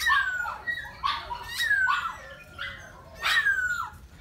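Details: Miniature Pinscher, red-coated with a pink nose, being mated, lets out a string of high whimpers, each dropping in pitch, roughly one every half second to second.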